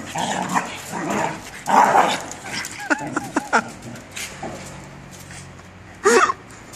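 Australian Shepherds fighting, with harsh snarling bursts, quick rising yelps and a sharp bark.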